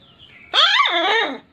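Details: Puppy barking in full aggression, a single loud harmonic bark-yelp rising then falling over about one second, indoors, with a man's voice repeating wow wow just before and after.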